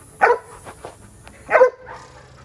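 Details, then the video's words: Two short, forceful barks roughly a second apart from Jada, a female Giant Schnauzer puppy doing protection exercises, with soft background hum between them. "Giant Schnauzer Protection Puppy Exercises- Female"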